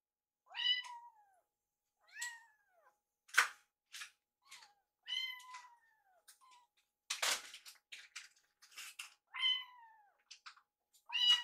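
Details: Baby rescue kittens Yuki and Piyo sharing food; short downward-sliding mews repeated several times with harmonics, plus bursts of eating and scuffling noise in a small room.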